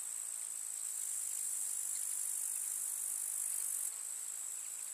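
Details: Grasshoppers chirp in a summer meadow in the countryside: a steady, dense, high-pitched hiss of stridulation with no gaps, dropping slightly in loudness near the end; no other clear sounds.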